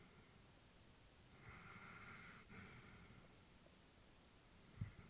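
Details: Elderly female Labrador Retriever sleeping peacefully indoors; one slow, soft breath with a hissing exhale lasting about a second, followed by a quiet pause and a small snort-like puff near the end, in a quiet small room.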